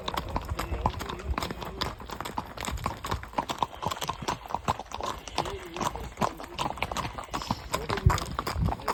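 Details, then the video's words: Quick, closely spaced clip-clop knocks of a horse's shod hooves fill the stretch, a busy trotting patter with brief human voices in the background. "Nal sesleri eşliğinde"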